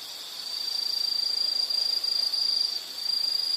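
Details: High-pitched insect trill from a relaxing nature soundscape, made of rapid pulses that swell in loudness, run steadily, then break briefly near the end before resuming.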